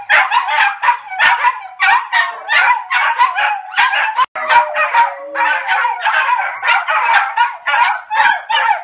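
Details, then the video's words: Three small Maltese dogs bark flat out in unison, quick sharp yaps piling over each other in steady bursts, with a momentary cut midway and a thin whining tone after it. "マルチーズ 犬 鳴き声 三匹で全力で吠える Funny Dog Maltese Bark 3"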